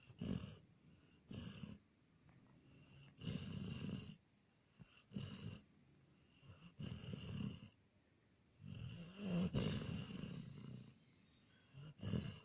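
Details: Sleeping Border Collie called Jon, filmed 14 April 2018, snoring steadily: long low rasping snores alternate with quieter breaths, each lasting about a second, rough and throaty with hissy overtones.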